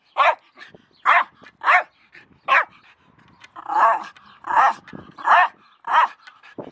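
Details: Jack Russell Terrier with a shovel, giving a series of sharp, loud barks roughly every half second to second, some drawn out longer and rougher, in a quiet setting.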